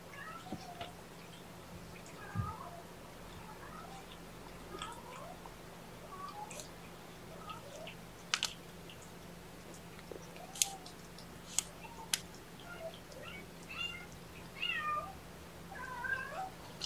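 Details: Indoor lunchtime with four young kittens, three males and one female, being handled: scattered short, high mews recurring across the stretch, with sharp clicks and knocks and a constant low electrical hum.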